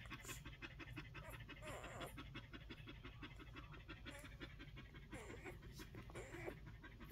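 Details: Rapid rhythmic breathing of one-week-old Collie pups, steady short pants close to three a second, with a few faint squeaks and soft rustles over a low hum.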